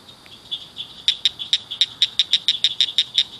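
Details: Several frogs chirping at night in and beside a roadside ditch culvert, loud little callers: sharp clicky chirps repeated about five per second over a steady high trilling chorus.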